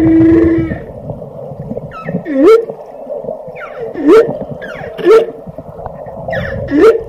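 A whale gives a steady moan, then a series of short, upswept whoops over a low underwater hum.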